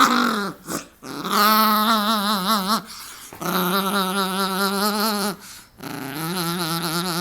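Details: Dog making an unusual noise while wrestling with its owner indoors: long wavering, moaning groan-howls with a warbling pitch, several drawn-out phrases separated by short breaks.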